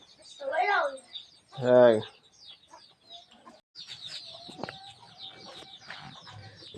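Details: Goat on a farm in the morning while a kid is let loose, tagged Sangli; a single short, low, wavering bleat, with voices before it and chickens clucking and chirping in the background.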